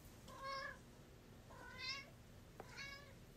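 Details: House cats getting lobster treats: three clear, tonal meows, each about half a second long and spaced roughly 1.2 seconds apart, with a faint click between the second and third.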